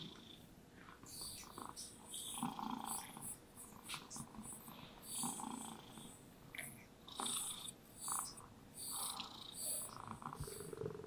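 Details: Relaxed, happy domestic cat purring during brushing, a low snore-like rumble rising and falling in repeated waves, overlaid by frequent swishing brush strokes.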